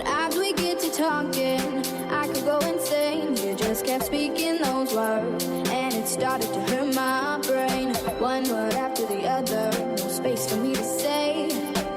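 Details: Continuous pop music with a singing voice and dense instrumental backing plays throughout, with no animal sound heard.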